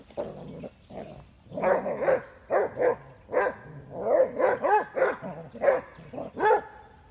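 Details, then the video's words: Basset Hound girls chase a basset boy in play, with steady rhythmic barking, each bark a bright harmonic yelp, roughly two per second throughout, some overlapping, suggesting more than one dog. "Basset hound girls chase basset boy!"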